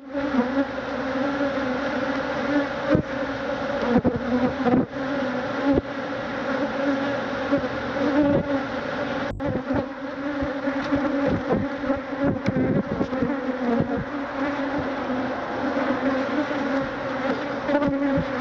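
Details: Thousands of Africanized honey bees swarm a man who is removing their hive, stinging him; a sustained, heavy drone that rises and falls slightly in loudness, with frequent clicks and knocks.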